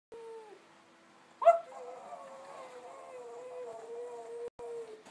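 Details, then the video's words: Dog howling to other dogs instead of barking: a steady mid-pitched howl holding one tone with a slight waver, after a short earlier howl note and a sharp yelp-like onset, ending with a click. "Topi is howling to other dogs."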